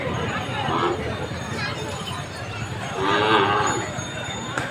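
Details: Bullocks at the Bail Pola festival in Umbare, 2021, with one deep, drawn-out moo near the end standing out against loud crowd chatter and festive noise.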